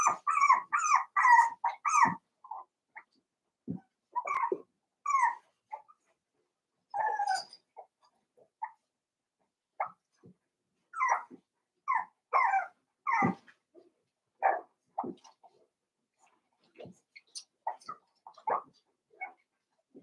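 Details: Five-week-old Cavalier King Charles Spaniel puppies in Daisy's pen give clear, tonal yelps and whimpers, a quick run of four at the start, then scattered single cries every second or so in a quiet room.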